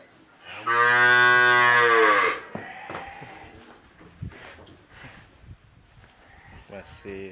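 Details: Cattle fattened for the Qurban sacrifice at an Indonesian farm, one loud, steady, deep moo lasting nearly two seconds, followed by barn noises, clattering and distant voices.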